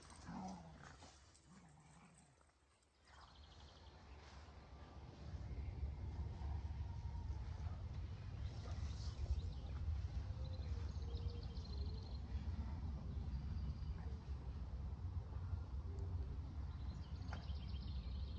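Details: Keeshond and Boston Terrier at play, tugging and facing off; after a quiet start, a deep, continuous rumbling growl persists, with occasional higher whines and scuffling.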